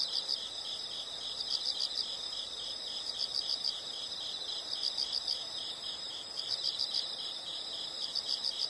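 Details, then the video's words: Insects in a calm nature recording: a soft high chirping in short groups of three or four pulses, repeated every one to two seconds over a continuous faint hiss. "the sound of insects"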